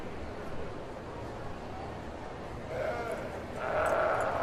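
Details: Sheep bleating: two short, wavering bleats arrive late, rising out of a quiet, noisy background with a low rumble.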